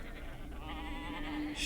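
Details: Sheep bleating: a wavering, quavering bleat with a strong vibrato swells in after a brief noisy start and holds for about a second over steady low background hum.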